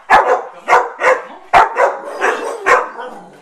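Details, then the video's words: Pet dog indoors at home, asked to speak, gives a series of about seven sharp barks in quick succession, with short whiny tones trailing between them; room quiet otherwise. "Talking Dogs"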